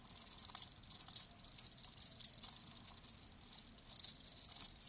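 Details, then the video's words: Live cricket chirps come as distinct high, pulsed bursts several times a second, with clear gaps between groups of pulses and a faint low hum beneath. "Live Crickets 60min "Natural Sound""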